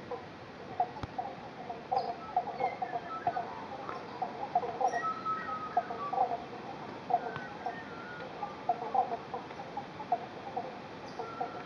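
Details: Eastern Banjo Frogs in the Victorian bush near Bendigo, Australia, call in a loose chorus by a creek refilled after two days of heavy rain and thunderstorms, giving short, resonant plucked 'bonk' notes in an urgent rush to breed; a man speaks briefly.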